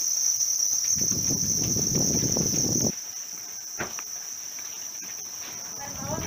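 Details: Captive house crickets kept for rearing, producing a continuous shrill high trill; a person talks loudly over it for the first three seconds, after which the even ringing tone carries on more softly with light rustling.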